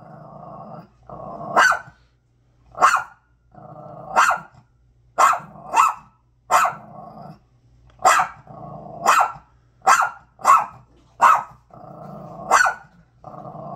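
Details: Barking dog aimed at a bag, loud clipped barks in irregular bursts, about a dozen, separated by stretches of low throaty growling.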